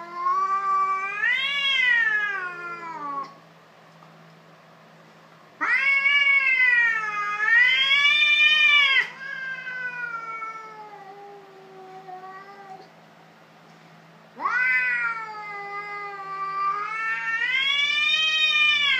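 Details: Fighting cats trade loud, drawn-out yowls that rise and fall in wavering arcs, three long bursts separated by lower moaning stretches and brief lulls, shrill and strained at their peaks.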